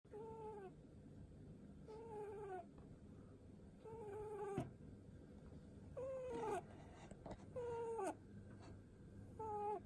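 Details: Seven-year-old pet rabbit making soft pu-pu sounds as its head is stroked, described as cute snoring breaths: short tonal harmonic notes, each drooping slightly at the end, coming at uneven gaps of about one to two seconds over a low hum.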